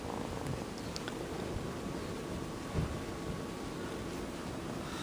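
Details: Sonny the kitten purring for the camera, his loud motor giving a deep even rumble throughout, with a few faint clicks and a short bump of handling noise.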